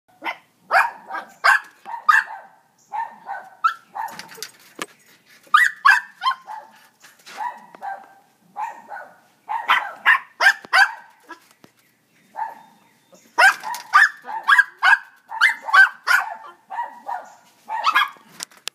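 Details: Several dogs chasing a bear up into the trees, barking hard in overlapping bursts of sharp, repeated barks with brief pauses between volleys.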